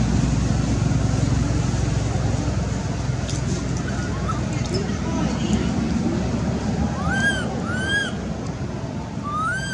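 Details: Baby monkey Anissa, hungry for milk, crying and calling her mother: after several seconds of steady low rumbling background noise, three clear whistled, arching cries with rich overtones come in quick succession near the end.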